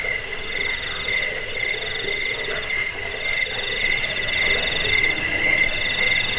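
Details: Crickets used against rats, for sleep and for training birds: rhythmic high pulsed chirps for the first three seconds, then a steadier lower trill takes over with scattered chirps continuing.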